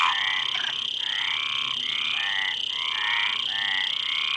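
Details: Frogs giving rapid raspy croaks, about four per second, grating and evenly pulsed, over a constant high-pitched background hiss.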